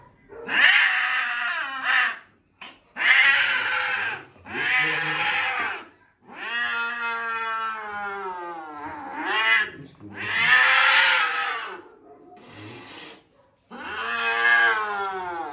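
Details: Domestic cat with a very loud voice when angry, giving a string of drawn-out caterwauling yowls, some rising and falling in pitch, mixed with shorter harsh cries across the whole stretch.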